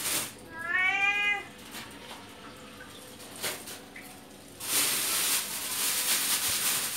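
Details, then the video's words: A talkative male cat meowing loudly while begging for fish: one drawn-out, harmonic meow rising then falling, followed by quieter sounds and a burst of running water near the end. "CAT MEOWING FOR FISH"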